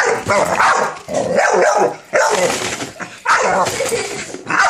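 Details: Minerva, an American Bully, barks at a cereal box she is afraid of: loud, harsh barks in bursts of about a second, some with rising tonal yelps, separated by brief pauses.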